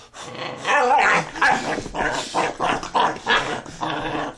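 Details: Puppy named Luna playing under a bed indoors: a run of rough, throaty growls in short bursts, about six or seven in four seconds, rising and falling in loudness.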